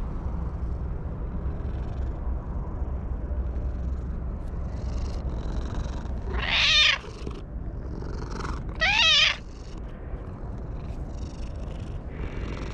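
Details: Stray cat perched on a wall crying out with joy while being petted: two loud, drawn-out meows with rising-then-falling pitch, about two seconds apart, over a soft low purring rumble and light rustling.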